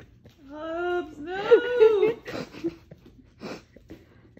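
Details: Italian Greyhound puppies making meow-like whimpers: a drawn-out whine that rises, wavers and falls over about two seconds, followed by softer short squeaks and rustling indoors.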